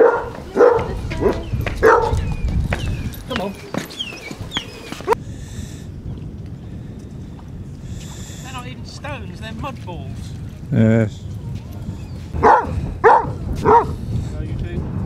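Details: Pack of 24 Basset Hounds on a five-mile walk along Burnham and Berrow beach, Somerset, February 2014: clustered barks at the start and again near the end, with human voices and chatter between them.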